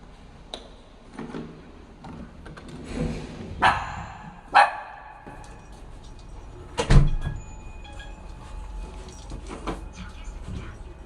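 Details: A poodle-mix dog gives a few sharp, excited barks amid household clatter and shuffling as it greets its owner returning home after a four-day business trip. The dog had shown some anxiety while he was away.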